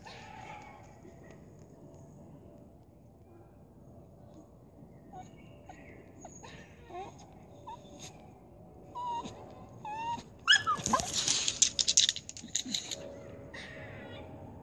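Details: A Staffordshire Bull Terrier gives wavering, moaning whines that rise and fall like talking, directed at a squirrel.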